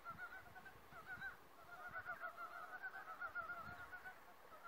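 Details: Frogs calling together in a forest, a steady chorus of nasal, harmonic croaks that pulse rapidly and overlap, with no pause across the stretch, over a low rumbling background.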